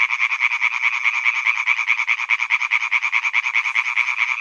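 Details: Chorus of male European tree frogs in a pond on Hyby Fælled, a rapid rattle of harsh croaks at roughly seven or eight pulses per second, rhythmic and continuous, several callers overlapping.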